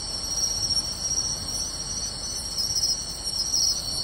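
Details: Pine crickets, bell crickets and other insects calling in grassland near a beach at Tainai on the night of 24 August 2020, a constant thin high trill with faint pulsing chirps.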